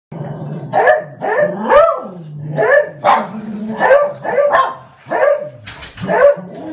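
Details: Pet dog barking "wan wan" when birds or cats come into the garden; about nine sharp, separate barks in quick succession, each a harmonic burst, some with a rising-falling whine between them, no other clear sounds.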